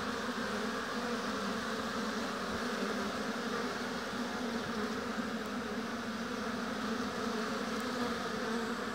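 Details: Steady, dense buzzing of a honey bee colony at its hive in an apiary, a uniform hum of countless wings with a couple of faint ticks in the background.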